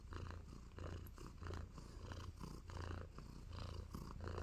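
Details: Nacho, a contented tabby kitten too happy to move, purrs while giving love bites; a steady low rumble pulses in regular cycles of inhale and exhale, roughly one and a half per second, close to the recorder indoors.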